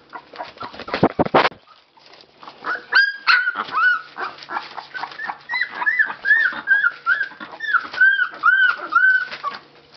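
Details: Nineteen-day-old Labrador Retriever pups in Belgium, recently opened eyes, getting noisy when awake. A brief burst of thumping rustle opens, followed by a steady stream of piping, slightly wavering whines from several puppies, about two to three per second.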